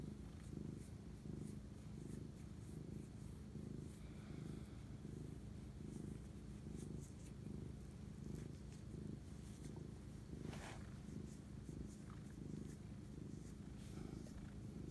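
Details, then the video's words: Close, rhythmic purring of a house cat bonding at night on 25 March 2019 at 11:07 pm, a low throbbing rumble pulsing steadily, with a few faint clicks and rustles. "spirit animal bonding asmr cat purr"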